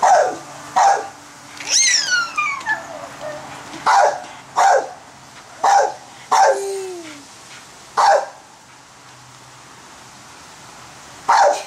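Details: Female pit bull in a backyard barking at people playing with a giant bubble maker: a burst of sharp barks early on, then single loud barks every second or so, with two falling whine-like tones at about two and six seconds.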